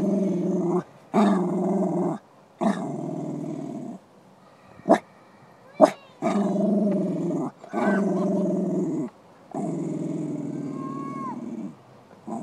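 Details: Beanie, a male dog at the park, keeps growling at a female greyhound, perhaps trying to pick her up; repeated gravelly growls of one to two seconds, broken by sharp clicks, ending with a brief high whine.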